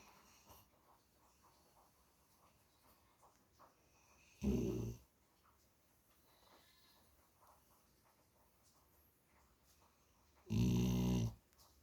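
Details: Dog snoring in a quiet room: two separate low, rattling snores about six seconds apart, each half a second long, with near silence between them.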